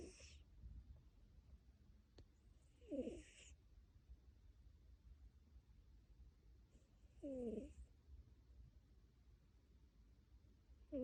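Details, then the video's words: Tabby cat snoring in its sleep, each breath a short wheezy, whistling rasp with airy hiss above, spaced about four seconds apart over a steady low background rumble. "Purring and snoring"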